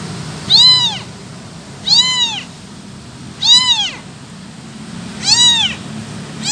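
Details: Motherless abandoned kitten crying for its mother, four loud arching meows spaced about 1.5 seconds apart, each a short rise-and-fall wail with bright overtones, faint low rumble underneath.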